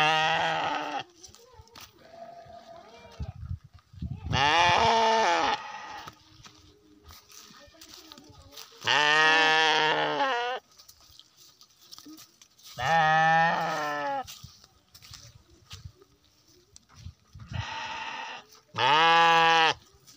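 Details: Garut sheep of kondang, white and black colouring bleating repeatedly. Five long, nasal, quavering bleats of one to two seconds each come about every four to five seconds. Faint rustling and soft background noises fill the pauses.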